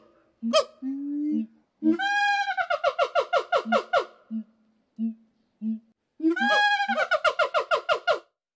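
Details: Siamangs calling back and forth to communicate: rapid series of loud harmonic hoots climbing and falling, each burst of pulses repeated about three per second, with low booming notes between bursts and a second calling bout near the end.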